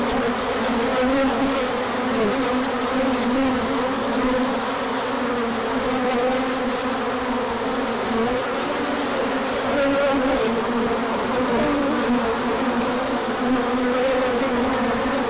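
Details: Bees pouring out for a large orientation flight in the sun after a chilly period; continuous dense droning of many insects, tones weaving and bending gently, steady loudness throughout.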